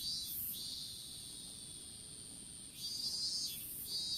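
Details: Insects calling in an open-field strawberry patch, picked up by a smartphone dropped while seedlings were being planted: very high, hissing buzzes in short bursts, a long sustained drone in the middle, then further bursts over a thin steady whine.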